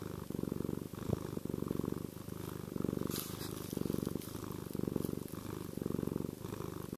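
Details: Chester, a pet cat, gives a contented, reassuring purr, a low vibrating drone that swells and eases with each breath in and out, roughly one cycle per second, with a brief soft rustle midway.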